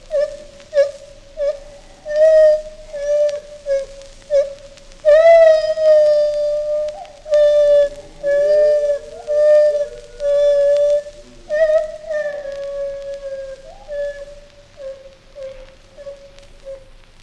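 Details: At London Zoo, U.K., an agile gibbon gives a long sequence of loud whistled hoots, pulsing roughly once a second and speeding up at times, with a brief lower rising note joining midway.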